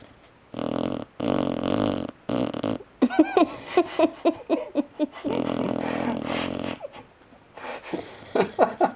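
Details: Sleeping puppy Sylvia snores: several raspy snores of about half a second, then a run of short sputtering snorts and puffs, another long drawn-out snore, and more brief snuffles at the end.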